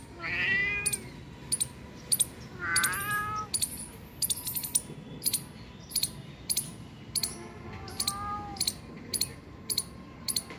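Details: Cat found two kilometres from home meows three times: a bright meow at the start, a rising one near three seconds, and a softer, lower meow later. Rhythmic metallic clicks tick throughout.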